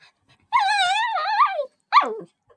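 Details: Pet dog getting mad at a wiggling blanket, making strange noises: a long wavering high whine lasting about a second, then a short sharp rising-falling yelp, in a quiet room.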